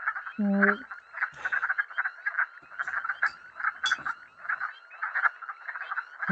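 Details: Wood frog chorus heard in a quiz recording for frog-monitoring training, made of steady overlapping chuckling croaks; early on a short, tonal, honking call of another animal briefly stands out.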